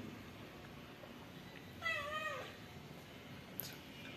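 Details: Stray kitten with no mother, found alone on a public street and newly taken into a home, still fearful; one soft, falling meow of about half a second amid quiet room hiss.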